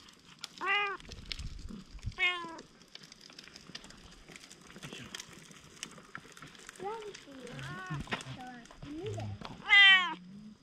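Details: Stray cat, wary at first, gradually turning bold and affectionate and purring; several clear rising-then-falling meows, one early, one near two seconds and a loud one near the end, with people talking quietly throughout.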